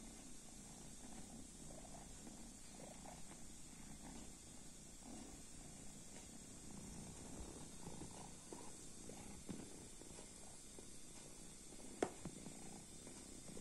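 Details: Sleeping kitten purring softly: a low, steady rumbling pulse running throughout, quiet and even, with one sharp click near the end against faint background hiss.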